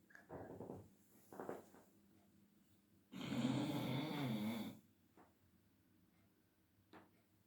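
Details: Leo, a female Labrador Retriever said to be slightly unwell, snoring in an afternoon sleep indoors; faint short breaths, then one loud rasping snore of about a second and a half, followed by quiet.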